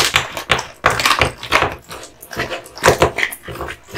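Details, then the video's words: Male American Bully, a pit bull type dog born 2016, eating duck spine jerky indoors; wet crunching and chewing bites come in uneven bursts, with soft smacking between them and no voice. "Dog eating Duck spine jerky"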